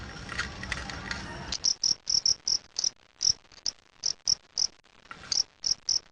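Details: Fighting cricket during a sound test: after a second and a half of broad noise and clatter, crisp high-pitched chirps repeat steadily about three times a second, some doubled, until the end.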